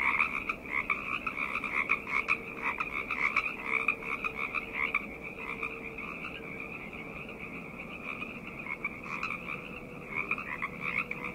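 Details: Night chorus of frogs: continuous overlapping trilled croaks, bursts swelling and fading about once a second, with a soft steady tone lower down throughout.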